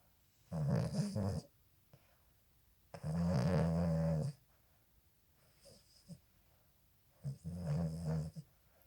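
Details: Boston Terrier puppy snoring while asleep with its eyes open; three loud, raspy, low snore bursts, each about one to one and a half seconds long, separated by quiet pauses, in a quiet indoor setting.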